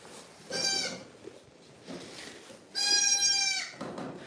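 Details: Two clear, high, flat bleats from goats on a farm, the second longer and louder, separated by a quiet pause with faint background noise.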